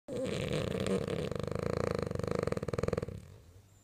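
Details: A French bulldog snoring while asleep and dreaming: a loud, raspy, fluttering snore lasting about three seconds, with rapid rattling pulses in its second half, then a quiet room.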